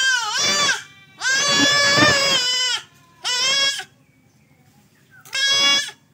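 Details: Male goat being castrated bleats four times in quick succession, loud and quavering, the second cry longest at about one and a half seconds, the others shorter and sharp.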